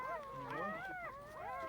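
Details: Newborn puppies, just two days old, lying in a box, giving a chorus of thin, quavering whimpers that bend up and down in pitch and overlap one another.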